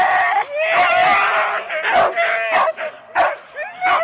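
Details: Four-dog Husky teams waiting at a sled race start at Rendlesham in January 2016: overlapping wailing howls and sharp barks from many dogs, sustained then breaking into separate yelps, taped on analogue cassette.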